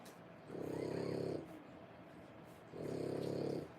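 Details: Nursing French Bulldog mother with 3-week-old puppies, zoning out while feeding: two buzzy, rattling snore-like exhalations, each close to a second long, separated by a quiet gap.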